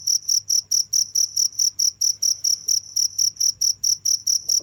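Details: Crickets calling nonstop: clear, shrill, evenly spaced chirps roughly four each second over a soft low-pitched hum.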